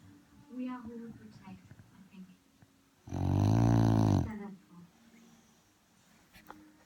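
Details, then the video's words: Sleeping dog on a settee gives one drawn-out, raspy, low snore lasting just over a second, while television voices murmur before and after it. "Snoring cute dog"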